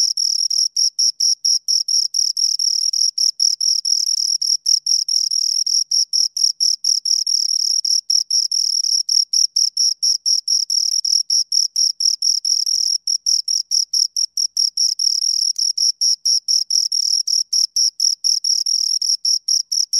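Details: Pair of crickets stridulating near the microphone, producing a continuous high, shrill string of rapid chirps with brief uneven breaks, constant loudness throughout and an otherwise silent background.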